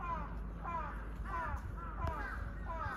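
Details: Female Malayan tapir calling toward a male at Chiba Zoological Park, Japan, on 4 March 2023, the pair kept at a distance after a break from display for construction; short arched squealing calls repeat about every half second over a low background hum.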